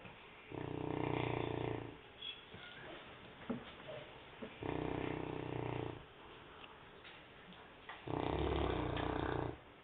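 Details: A sleeping St. Bernard dog snoring indoors: three long, deep rasping snores, each about a second and a half, with quiet pauses of roughly two seconds between breaths and faint small rustles.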